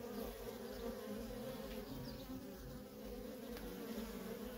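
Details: Steady droning hum from a busy feral honey bee colony, worker bees coming and going nonstop, the many-winged buzz holding an even low pitch with faint passing whines above it.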